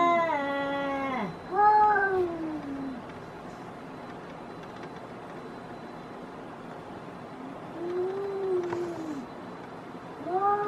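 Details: Fighting outdoor cats trading yowls: a wavering howl that falls away, a second drawn-out moan, then a long quiet gap before a softer rising-falling wail and a final rising yowl.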